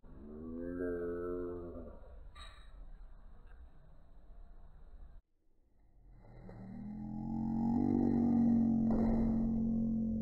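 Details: Domestic cat meow slowed down into low, drawn-out, groaning tones, with a gap of near silence midway, then a long, deep, steady sustained note at the end.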